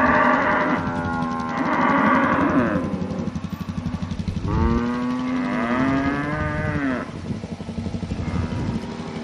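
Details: Cattle mooing in October 2023: loud, harmonically rich bellows, a couple of long calls that swell then sag in pitch, separated by brief pauses, over a constant low mechanical chugging in the background.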